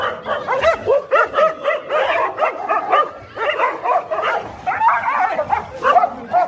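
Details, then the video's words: A dog fight with a continuous stream of short, choppy yips and barks, several per second, some whining and upturned, a brief easing around three seconds, then another frantic run of overlapping yelps. "A dog's fight"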